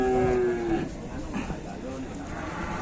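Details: Jumbo superior cattle at Bateni, Indonesia, during loading onto a truck and unloading; a short, flat, low moo opens the clip, followed by a man speaking over background noise.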